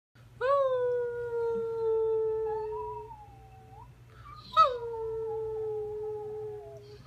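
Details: Three-year-old Rhodesian Ridgeback/Labrador mix in foster care, up for adoption, a sympathetic crier; long tonal howls sliding down and holding steady, two drawn-out wails with a brief break between them.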